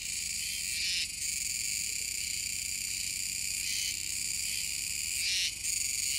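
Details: Kuroiwa's cicadas chorusing near the mouth of the Kōme River, Tenjin-chō, Nishinoomote, Tanegashima, Japan, on 7 September 2022: a dense, continuous high buzzing drone, broken by short brighter surges around one, four and five seconds.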